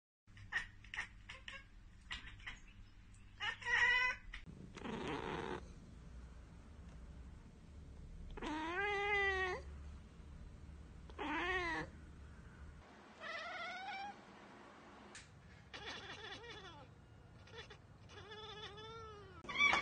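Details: Domestic cats chattering while spotting a bird or insect they cannot reach: rapid dry clicking bursts, then short harmonic chirps and warbling meow-like trills rising and falling, separated by brief pauses, with a low indoor hum beneath.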